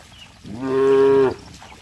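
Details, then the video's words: Moo from cattle frolicking in mud, a single clear, even-pitched low call lasting under a second, rising in quickly and cutting off abruptly, with faint background noise around it. "Suara sapi Moo"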